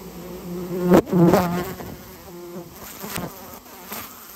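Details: Swarm of Japanese honey bees being cleared from a colony built inside a storehouse; loud, layered buzzing swells and fades as individual bees pass close, over a continuous low drone.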